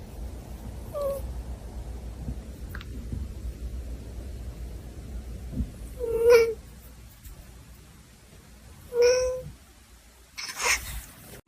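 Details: Domestic cat giving two short, tonal meows about three seconds apart, each roughly half a second long with clear overtones, over a steady low indoor hum with a few faint knocks and clicks.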